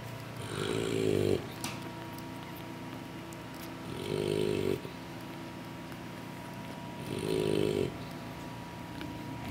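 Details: English Bulldog puppies dozing after their mother's feeding produce three rough, nasal snores roughly three seconds apart, each about a second long, with faint talking in the background.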